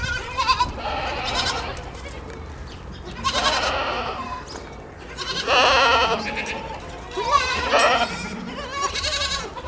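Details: Morning scene of goats, a kid drinking milk from its mother: loud, quavering bleats roughly every two seconds, some overlapping, over a soft background rumble.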